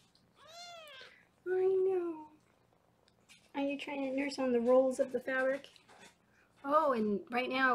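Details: Foster kittens being weighed indoors in Los Angeles; a high, arching kitten meow opens, then a run of lower, drawn-out wavering calls mixed with a woman's voice in a small room.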